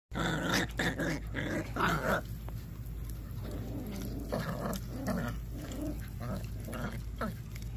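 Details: An 8-week-old Patterdale Terrier pup indoors at its first raw feeding, giving low rumbling growls broken by wet chewing and gnawing bursts, with some higher crackling mouth noises throughout.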